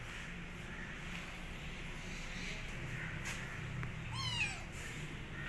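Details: Rescued female kitten shortly after her rescue, giving a single clear descending meow near the end, with a steady low hum of background noise throughout.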